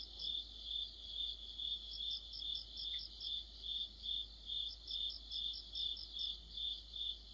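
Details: Autumn night chorus of crickets and other insects: a steady, high, pulsing trill beating about two and a half times per second, with bursts of quicker, even higher chirps layered over it; no other sounds stand out.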